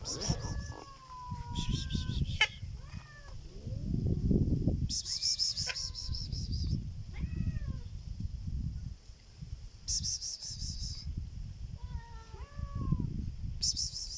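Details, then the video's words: Black cat giving a strange sound: short, bending meow-like calls repeated at irregular intervals, with bursts of high buzzing noise and low rumbling in the background. "This black cat makes a strange sound"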